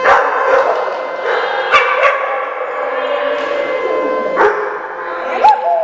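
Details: Howling dogs at a doggy day care in Oswego, Illinois, during a January 3, 2012 siren test: drawn-out overlapping wails with occasional sharp barks, ending in a rising yelp.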